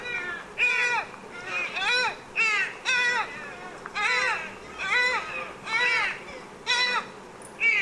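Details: Repeated deer calls: ringing, harmonically rich bleats that arch up and down, spaced about a second apart in an even run, with a faint hiss underneath and no other animals.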